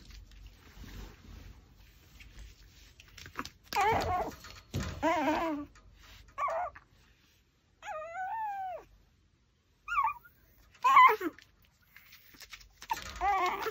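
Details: Pomeranian dog eating a raw pork backbone. Its whimpers and whines come in short harmonic bursts, some wavering and some arching, separated by brief pauses, with faint chewing noises between them.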